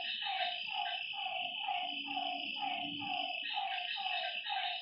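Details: Lakeside frogs at night repeating short, dropping croaks a little over twice a second, with a steady shrill insect background and a brief low hum in the middle.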